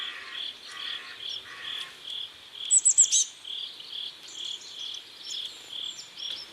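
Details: Crickets by a river at sunset in South Korea, a steady train of short high chirps roughly twice a second, with a brief burst of sharp, very high twittering near the middle and a lower pulsed buzz early on.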